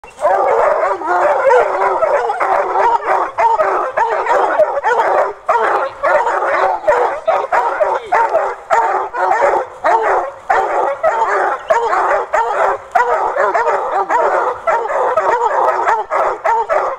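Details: Three young Redbone Coonhound littermates of Machine Gun Jack bloodline baying at a caged raccoon; loud, continuous overlapping bawling and barking from several hounds, dense and unbroken throughout.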